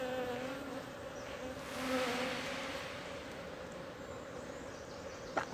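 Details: Wild honey bee swarm being caught by bare hand from a tree hole in the Timang jungle, Manang district, Annapurna region, Nepal; a steady, low droning hum with layered tones runs throughout, ending in brief handling knocks.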